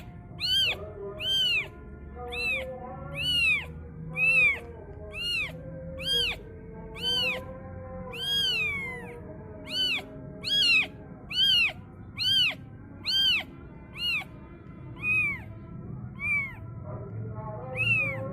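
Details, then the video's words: Kitten wailing when the call to prayer sounds; a long run of sharp, arched meows about once a second, some drawn out and wavering, over faint sustained chanting and low hum. "anak kucing menjerit mendengar suara adzan"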